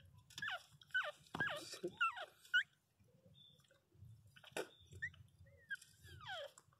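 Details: Newborn Miniature Pinscher puppies, sleeping and dreaming, give thin, high squeaky cries that swoop down in pitch, in scattered bursts.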